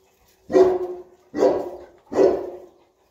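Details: Playful Boerboel (South African Mastiff) from a male and female pair kept in Egypt; three loud, rough barks spaced about 0.8 seconds apart, each with a short trailing tail, in otherwise quiet surroundings.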